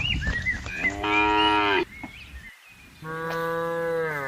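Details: Cows roaming freely in a vast palm oil plantation while being herded give two long, steady moos, each a droning, harmonic-rich low bellow.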